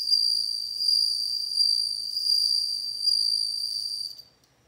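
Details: High ringing song of a bell cricket, loud and clear, a sustained shimmering tone with rhythmic swells roughly every second, fading out after four seconds.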